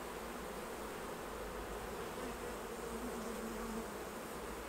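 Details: A mass of honey bees hums around the hives as honey is harvested; a low, unbroken drone wavers slightly in pitch, with a second, higher buzzing tone rising and falling near the middle.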